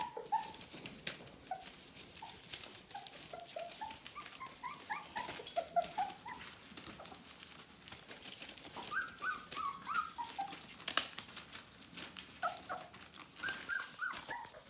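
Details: Bohemian Shepherd puppies of the "F" litter, nearly four weeks old, whimpering indoors: thin, squeaky rising and falling whines repeated in bursts, with rustling and scratching in a small room.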